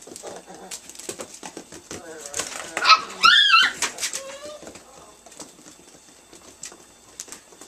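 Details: Italian Greyhound puppies, nine weeks old, indoors; a few high, wavering whines and yelps rise and fall across about a second in the middle, among soft scuffling, clicks and a person speaking.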